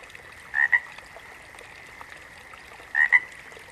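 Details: Two crisp double croaks from a frog, each a pair of quick raspy pulses, about two and a half seconds apart, against a quiet but steady high background hum.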